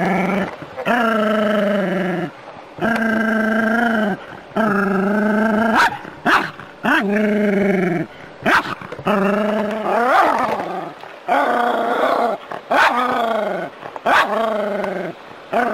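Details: Jack Russell Terrier at play with water spraying from a hose, letting out a long series of sustained, moaning growl-yowls, each lasting one to two seconds, some bending upward, separated by brief pauses.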